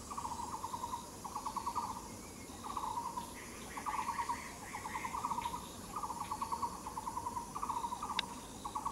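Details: Katydid recorded along the Yixuekeng hiking trail, giving rhythmic bursts of fast, raspy ticking pulses, each burst under a second long and spaced by short gaps, with a softer, higher pulsing song joining partway through over constant hiss.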